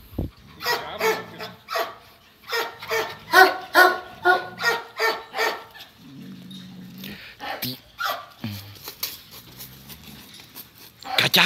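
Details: Thai Ridgeback male, four and a half years old, shelter dog meeting other dogs; series of sharp repeated barks about two per second, then a low growl-like rumble and scattered barks, while a person talks in Czech.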